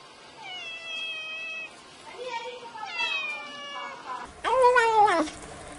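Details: A domestic cat's meow sequence, given as a sound for chasing mice: several wavering, drawn-out meows in a row, ending with a louder, sharper meow over a burst of background noise.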